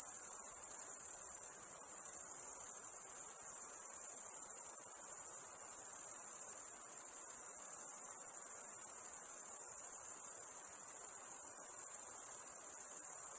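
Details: High insect trilling of crickets at night, constant and shrill with a fine rapid pulse, briefly dipping in loudness near the start and again near the end, otherwise uninterrupted.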